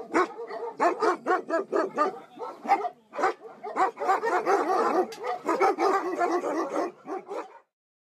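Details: Caged puppies in Namyangju, South Korea, struggling to breathe, give rapid runs of short, high yelping barks and whimpers, a few per second, pausing briefly then resuming in a dense burst before falling silent.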